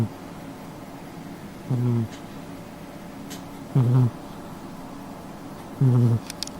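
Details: Snores of a sleeping cat at home, three short low buzzy bursts about two seconds apart, with faint soft clicks in the quiet room between them.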